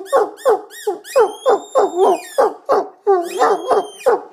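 An Irish Wolfhound 'sings' in quick, falling hoo-hoo howls, about three each second.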